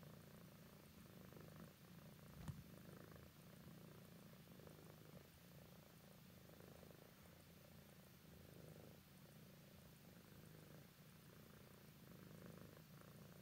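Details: An adult tabby cat, about 10 years old, sleepy and snuggling, purrs steadily, a low rumbling throb that pulses with each breath.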